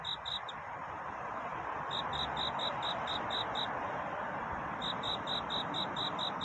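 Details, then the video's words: Night courtship song of a cricket: short bursts of high, evenly spaced chirps broken by pauses, set against a steady hissing background. "귀뚜라미 울음소리. 슬퍼 말아요 우는 것이 아니라 사랑을 찾는 노래랍니다"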